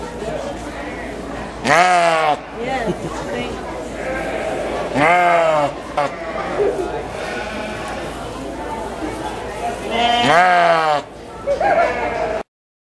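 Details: Sheep calling out for its mother at the 2011 Washington County fair, New York; three strong, quavering bleats rise and fall at roughly three- to five-second intervals over steady background crowd chatter and occasional voices.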